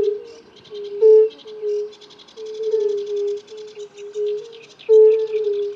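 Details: Male European fire-bellied toads give mating calls, soft, low, mournful 'oop' notes, repeated in an overlapping chorus.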